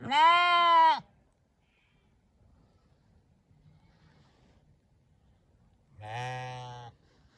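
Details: Ewe and lamb bleating: a loud, bright bleat with a rising then falling pitch opens, then a long silence, then a second, lower, wavering baa near the end.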